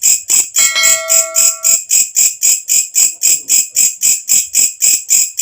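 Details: Walang kecek katydid calling loudly as night falls, a sound kept as training song for cage birds: a steady train of shrill, buzzy high-pitched pulses, roughly four per second, with brief ringing bell-like tones near the start.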